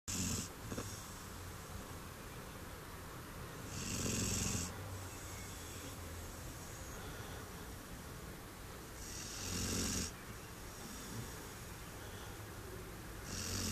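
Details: Brown Labrador Retriever Duke-Emil, six months old and weighing 21 kg, snoring while sprawled comfortably on a garden chair; rasping, hissy snores recur about every six seconds with quieter breathing between them.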